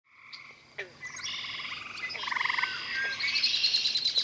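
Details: Male gray treefrogs (Hyla versicolor) trill at night at a pond in West Virginia, one calling from low willow branches at the water's edge; overlapping bursts, each a rapid musical rattle of pulses.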